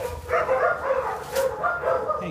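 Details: German Spitz Mittel dog reacting to its first apple, giving a run of high, wavering whines and yips with tonal harmonics, interrupted by short noisy sounds, as a person talks to it.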